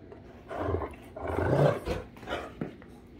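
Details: Great Danes Rhapsody and The Heartbreaker wrestle playfully indoors, letting out deep, drawn-out roaring growls that swell and fade over a few seconds.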